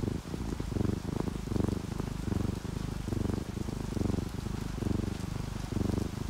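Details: Low, throbbing purr from a sleeping orange tabby or calico house cat, contented and relaxed, each breath cycle clearly pulsing under a soft patter of falling rain.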